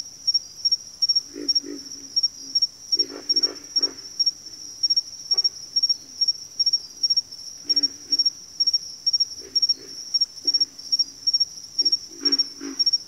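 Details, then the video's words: Frogs calling in a backwater chorus, deep grunting croaks arriving in clusters of two to four, with gaps between groups, while a shrill cricket-like trill throbs continuously at a rapid, even pulse overhead. "FROGS - Pig Frogs, Water Frogs, Backwater Chorus, & Frog Chorus"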